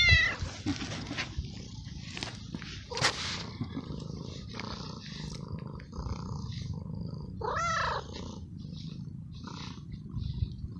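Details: Stray male cat in heat, looked after for a few weeks, meowing for a female to mate and excited when petted; a short arched meow rings out late on over a low purring rumble, with a sharp cry at the start and soft rustling.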